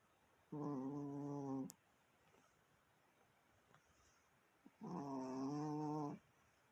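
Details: Chihuahua indoors making a strange noise: two long, steady, harmonic whining tones, each a little over a second, separated by about three seconds of quiet.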